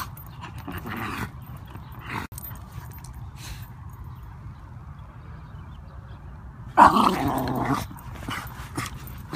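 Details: Wire Fox Terrier in a stroller, worked up by geese that are out; mostly quiet rustling, then a single short, rough bark burst lasting about a second near the end.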